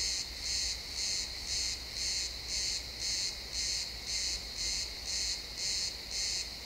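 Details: Crickets in a pine forest at sunset, realtime XY stereo recording: a rhythmic sequence of high, shimmering chirps at just under two per second, over quiet woodland ambience and slight low hum.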